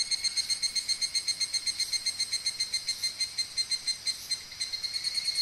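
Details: Okumikawa, Japan: a higurashi cicada close by, its bright, glassy trill broken into sharp, regular pulses about two per second, steady and loud throughout.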